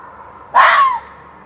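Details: A fox calling in a back yard at night around 1:15 am on 27 June 2013: a single short harsh cry lasting about half a second, starting high and sliding downward, over a faint steady background hum.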